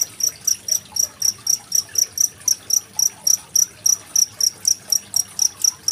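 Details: Cricket. High, shrill cricket chirps repeat about four times per second in a steady, even rhythm. A soft hiss of running water sits quietly underneath.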